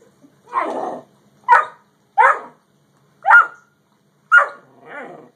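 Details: Dog barking in a Great Dane versus Yellow Labrador face-off: six loud, rough barks at irregular intervals, roughly one per second, the first and last longer and hoarser, with silence between them.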